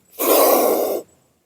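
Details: Wild medium-sized Indian spectacled cobra rescued at night, very aggressive toward its handler before release into the forest; one loud, breathy, roaring hiss lasting under a second, starting and stopping abruptly, otherwise quiet.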